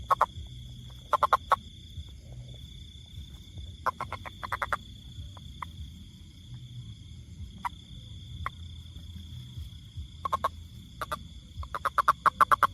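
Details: Toad giving sparse bursts of brief, rapid clicking croaks, a few notes at a time with long gaps, against a constant high whine and low rumbling noise.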